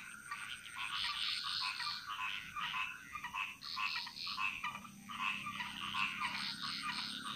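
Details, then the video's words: Dense frog chorus from the jungles of Bali. Many overlapping rattling, pulsed calls merge into a continuous shimmering wash, with a steady high whine above. "Frog Mantras - Relaxing Sounds Of Bali"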